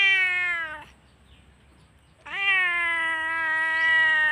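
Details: Domestic cat crying loudly while left alone briefly as its owner went to collect a delivery; two long, loud, harmonic meows, the first about one second, the second drawn out for two seconds with a steady, slightly falling tone.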